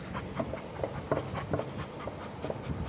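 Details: Labrador Retrievers Meera and Sasha during a playful fight; rhythmic panting, a quick series of breathy puffs about every half second, with a faint whimpering edge.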